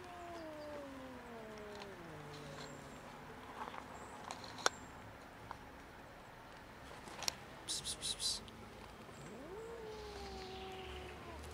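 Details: Huge fluffy stray female cat, friendly and hungry, living on the street on cold winter days, gives a long meow that slides downward, then after a pause a second meow rising and falling, with scattered clicks and rustling.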